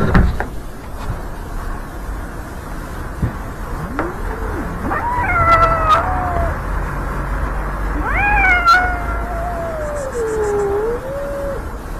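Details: Kitten meeting its homeless father cat on the street for the first time; after quiet street noise, three drawn-out meows follow, the first short and rising-falling, the later two longer, wavering and descending, over a low traffic rumble.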